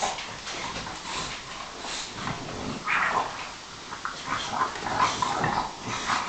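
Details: Bulldog, Sarplaninac and Staffordshire bull terrier play fighting indoors on a couch: low rough growls and soft whines come in uneven bursts, mixed with scuffling and rustling as the dogs wrestle.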